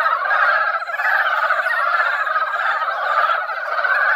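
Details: A mountain pond comes alive with mountain frogs that emerged after a brief rain, a yearly seasonal song: a thick, continuous wall of rattling croaks from many frogs at once, steady and unbroken throughout.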